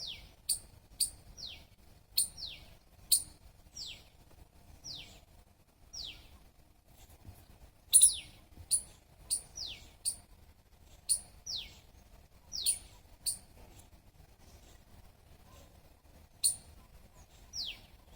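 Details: Long series of high squirrel chirps, each a sharp click sliding down into a squeak, repeated rhythmically about twice a second with short pauses, a louder burst midway, soft low rumble behind.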